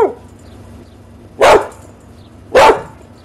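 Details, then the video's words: Two loud, full-bodied dog barks about a second apart over a steady background hum, with a fainter vocal tail at the start. "Hundebellen, Bellender hund sound, Dog barking"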